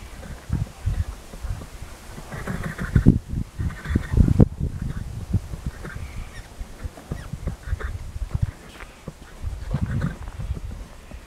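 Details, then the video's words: Cody the horse nickering to a person, a low soft sound that horses use to communicate. The vocalisation is a deep, fluttering rumble of rapid low pulses, rising and fading in bursts across the recording, with faint handling noise. "Nickering: about as close as it comes to a horse talking."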